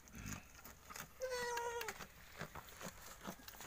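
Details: One of two newborn female goat kids, one day old, calling on a farm: a single wavering, slightly trembling bleat lasting under a second and sliding gently downward, with soft clicks and rustling around it.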